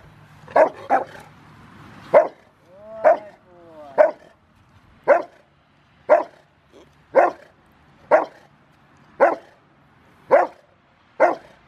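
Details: Five-year-old male Rottweiler barking during bite training for a ZTP trial, January 2020: about eleven loud, harmonic barks spaced roughly one second apart, with a trainer's instructions audible.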